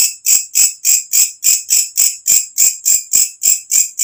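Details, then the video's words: Walang kecek katydid calling at night, a loud natural sound played to teach songbirds; about thirteen sharp, high-pitched buzzy pulses in quick regular succession, each swelling then cutting off. "walang kecek masteran untuk semua jenis burung||suara asli alam"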